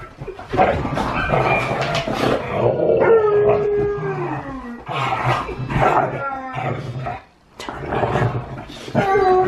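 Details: Siberian Huskies at home howl with a Malamute on television: wavering howls that glide slowly downward, broken by pauses, mixed with people talking and background noise.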